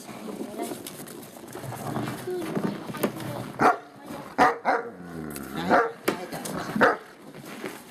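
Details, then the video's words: Great Pyrenees puppies give a string of short, sharp, bright barks spaced about a second apart in the second half. Quieter Finnish speech and rustling come before them. "great pyrenees puppies"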